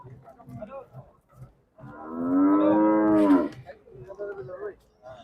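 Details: Cattle at the heifer market in Sangola, India: a single loud, drawn-out moo, rich in harmonics and steady in pitch before a rough falling break, set among irregular low thumps and market noise.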